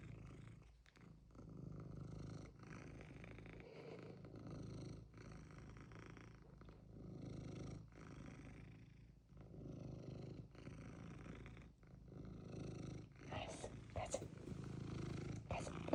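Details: Pet cat wanting something, purring in a low continuous rumble broken by brief pauses for breath, with a few sharper clicks and rustles near the end.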